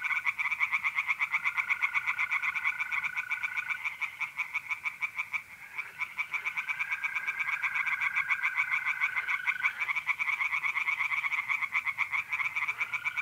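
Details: Chorus of tree frogs calling from a pond on an April night in north-east Italy. Fast, rhythmic croaking pulses go on steadily, with mole crickets adding long, even trills that stop and restart.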